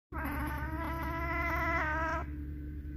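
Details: Oriental Shorthair cat reacting to a new valerian cushion that came by mail, a scent it finds attractive. It gives one long, steady, drawn-out yowl lasting about two seconds, with a slight waver, over a low background hum.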